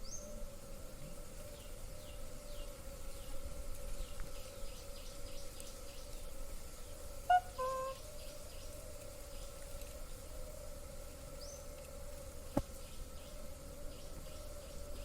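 Honey bees make a continuous, level drone that holds one pitch with a buzzy edge. Faint high chirps from birds and a low outdoor rumble sit underneath.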